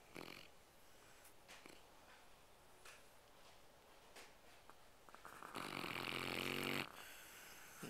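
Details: Tired Labrador dog asleep and snoring: faint soft snorts and breaths through most of the recording, then one loud, rough, rattling snore lasting just over a second near the end, indoors.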